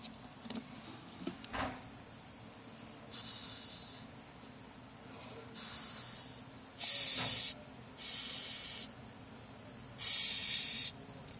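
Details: Madagascar hissing cockroaches hissing when disturbed, pushing air out through a special pair of spiracles: five breathy, high-pitched hisses, each roughly a second long, separated by short gaps, with faint rustling in between.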